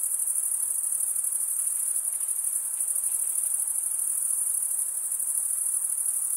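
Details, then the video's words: Crickets chirping at night in summer forest, a thick high-pitched pulsing drone without pauses, a few faint fainter tones flickering below it and steady background hiss. "Pure cricket music for 20 min"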